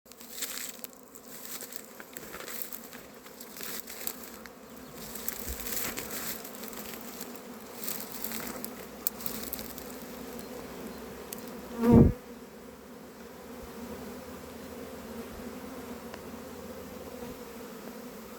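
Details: Western honey bees out in the countryside of northern Iran give a steady, low droning hum, with a single sharp knock partway through.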